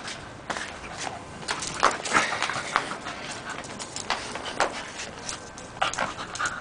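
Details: Scottish Terrier Whisky, nearly two, romps with a hose, breathing in fast ragged pants about three per second, interspersed with snorty sniffs against a continuous hiss.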